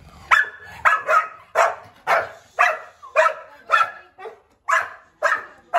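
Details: Dogs at a first meeting between Turbo, a German shepherd puppy, and Kiwi, an angry one-year-old Labrador: a steady run of about eleven sharp, loud barks, roughly two per second, with short quiet gaps between them.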